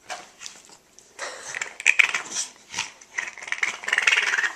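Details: Cranky French Bulldog grumbling and growling in a run of short rough, breathy bursts, rising into a longer louder stretch of grumbles near the end.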